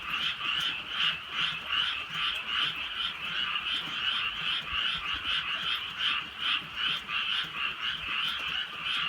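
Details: Rural night chorus of frogs during light rain, many animals croaking together in quick throbbing bursts that swell and fade about once per second, forming an unbroken trilling wall of sound over soft rainfall.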